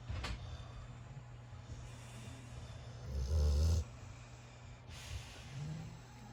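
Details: A sleeping puppy in a pile with his brothers gives one loud, low rumbling snore midway, framed by soft airy breaths and a steady low hum underneath.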